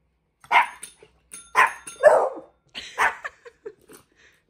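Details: Dog barks at home while Hendo the 10-month-old Pomeranian teaches Salto the beagle to ring a bell: four or five quick, rough barks in a burst, mixed with the ringing tones of a small bell.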